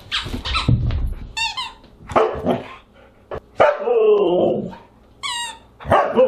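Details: Siberian huskies at a dinner party on August 30, 2022: gruff barks, then a drawn-out, wavering howl-like vocalisation, with thin high-pitched yelping whines rippling in twice, in an indoor room.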